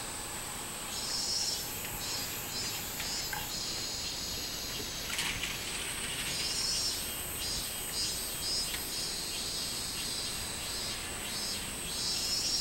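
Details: A robust cicada (minmin-zemi), recorded on 24 July 2016, sings a high, pulsing series of buzzy notes over a steady shrill insect drone.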